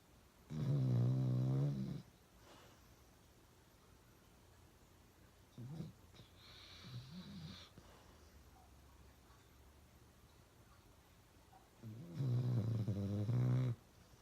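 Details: Pet dog Uno snoring really loud: two long, deep, rattling snores at the start and end, each about one and a half seconds, with softer wheezy breaths between them.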